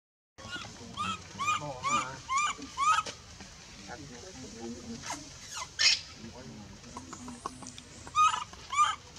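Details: Baby female monkey in the Bayon area crying as her mother pushes her away from milk; a run of high, arched, wavering cries, roughly two per second, then murmuring voices and scattered noises before more cries near the end.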